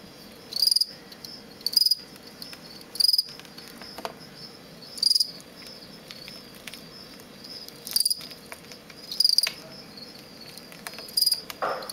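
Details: A male fall field cricket (Gryllus pennsylvanicus), bred in captivity from parents collected near Lethbridge, Alberta, sings aggressive contest song in a plastic bin: bright, shrill, pulsed chirps at uneven one-to-two-second gaps, with a steady faint high trill behind.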